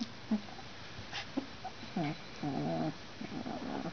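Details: Two-week-old Alaskan Malamute puppies born November 17th in Finland, one female and three males; soft low grunting whimpers, a few short ones then longer buzzy murmurs, faint background hum.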